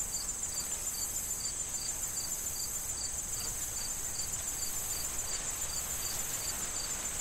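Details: In a corn field soon to be harvested this autumn, crickets give a long run of clipped, high, metronomic chirps about three per second, backed by a steady shrill insect hum and faint wind in the stalks.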